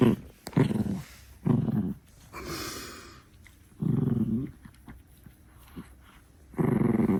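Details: Six-month-old female Chihuahua puppy guarding her favourite stick indoors, giving low, throaty growls in bursts of about half a second to one second, separated by quieter gaps with faint rustling.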